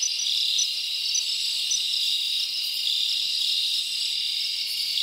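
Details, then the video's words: Summer night in the forest, with many crickets chirping together as an unbroken shrill trilling wall, a few brighter repeated chirps riding on top, nothing else audible. "Live Crickets Natural Sound"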